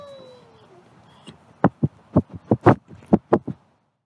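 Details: A captive-born male gray wolf at a wolf conservation centre in South Salem, New York: his howl fades out, then gives way to a quick run of breathy grunts and snorts.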